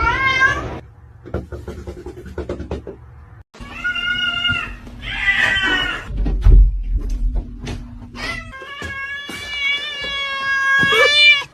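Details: Pet cat crying and protesting at a closed door, wanting to be let in; loud drawn-out wailing meows, rising and falling, in several bursts with short gaps, alongside knocking thuds and background music.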